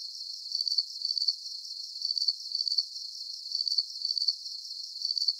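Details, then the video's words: A continuous chorus of cricket chirps: sharp, high trilled bursts in twos at a steady rhythm, the quiet gaps evenly spaced, over low constant hiss. "Calming Cricket Sounds"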